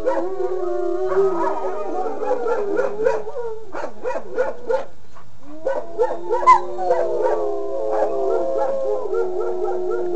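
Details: Wolfdog howl chorus: long sustained tones overlap, one sliding downward early on, with a burst of short yips in the middle and fresh rising howls joining near the end, all wavering in pitch.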